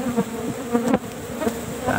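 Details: Asian honey bees (Apis cerana) in a cultivated hive box during a honey harvest, described as agitated and attacking; wavering low buzz comes and goes in short bursts, with faint clicks of handling.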